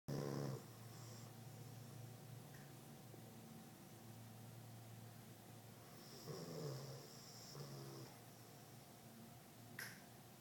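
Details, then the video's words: Dog asleep indoors, giving low, soft rumbling snores in slow breaths, loudest near the start and again around six to eight seconds, over a quiet steady room hum with a faint click near the end. "Snoring Dog"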